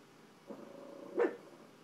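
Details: A pet dog reacting to dogs seen on television gives a soft, short bark, then a louder, sharper one a moment later, with a low indoor hum behind.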